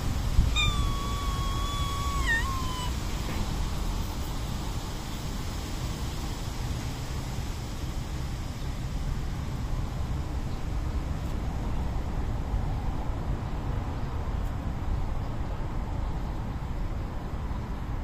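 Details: Young white and black community cat in Japan meowing for attention and rolling on the ground: one wavering meow with a dip in the middle at the start, then only steady low background rumble.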